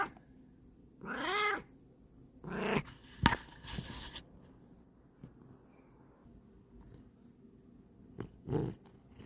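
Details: Female Bengal cat Kokoa, sniffing and rubbing up against the camera, gives one clear arched meow. Rustling and brushing noises from her contact with the camera follow, and a short low call comes near the end.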